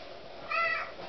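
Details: A hungry female kitten gives a very vocal meow indoors: a single short, rising-then-falling mew between a person's voice asking where the food is.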